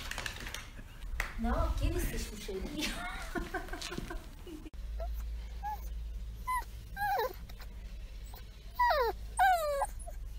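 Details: Female German Shorthaired Pointer puppy, from a timeline of growth between birth and two months, gives high whimpers and whines that bend up and down in the second half, after a stretch of Spanish speech and handling noise.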